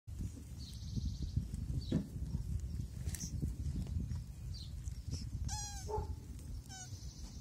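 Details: African land tortoises mating, making a short nasal cry with stacked harmonics near the end, one call sliding downward and a second brief one after it, over steady low rumbling background noise.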